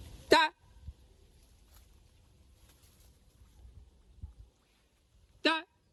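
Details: Otter calling in two short, loud, wavering harmonic squeals about five seconds apart, with near silence and soft low thumps between them.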